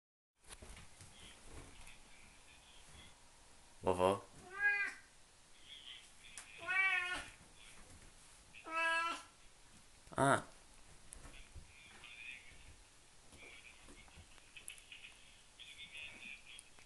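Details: A Siamese cat playing on a bed gives several loud, drawn-out meows with clear harmonics, spaced a second or two apart.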